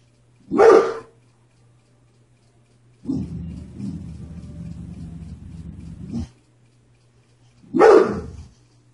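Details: A dog barking at the mailman, two sharp single barks separated by a few seconds of lower rumbling noise, with a steady low hum in the background.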